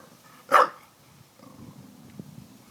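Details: A single short, loud bark from Daisy, a dog barking at water jugs, followed by quiet low rumbling and faint background sounds.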